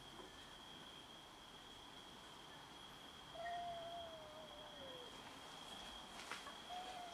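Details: Several cats meow and fight over food: a drawn-out, wavering meow slides gently downward over a steady high whine, amid aggression between cats competing to eat.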